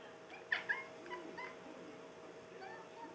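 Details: Pet cat Tobie watches birds through the back door and makes his weird meow: two sharp, high, chirp-like notes in quick succession, then softer trailing calls against a low household hum.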